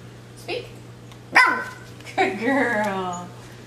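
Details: Escher, a 12-week-old female Miniature Schnauzer puppy, barks once indoors on the "speak" command during trick training: a single sharp, bright yap, quickly followed by a woman's praise of "good girl" in a small room.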